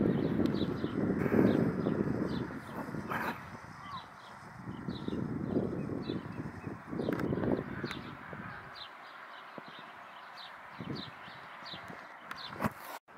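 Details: Owha, a leopard seal (Hydrurga leptonyx) at the Whau River, gives low, breathy, rasping grunts and snorts in loose bursts.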